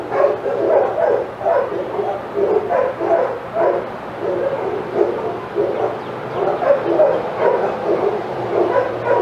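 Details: Excited barking from several sanctuary senior dogs in an outdoor yard at Old Friends Senior Dog Sanctuary as Titus walks by; dense overlapping barks and yips in quick bursts, with a faint steady hum behind.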